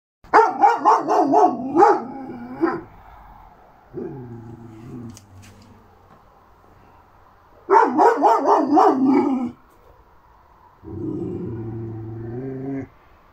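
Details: Šarplaninac (Yugoslavian Shepherd Dog) puppy named Nika, three months old, recorded 6 May 2021: two bursts of rapid high yapping barks, several per second, each followed by lower drawn-out whining growls.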